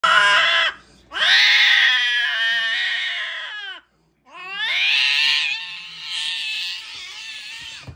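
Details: Sphynx cats mating during a stud service visit, a male with a visiting queen, with long, harsh, wavering yowls.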